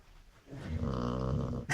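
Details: Sleeping chow chow giving a single drawn-out, low, buzzing snore of about a second, rich in rough harmonics, followed by a brief sharp noise at the end.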